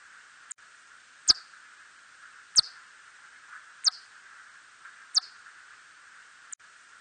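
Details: Hodgson's bat, 2020 recording: crisp high downward-sweeping chirps spaced about 1.3 seconds apart, plus faint clicks at the start and end, over a constant background hiss.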